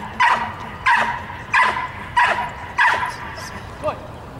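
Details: A young dog, 22 months old, works on the hold and bark, giving five loud, clipped barks spaced about two-thirds of a second apart, then a fainter final yelp.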